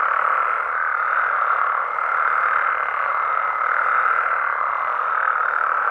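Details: Frogs and toads calling at night in Mexican amphibian habitat: a dense, unbroken chorus of mid-pitched croaking trills that merge into a steady droning wall, swelling slightly around the middle and near the end, with no other clear sounds.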